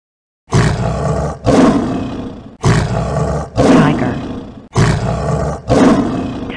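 A tiger roars six times in three close pairs, each a deep, rasping, full-throated blast about a second long, with nothing else audible.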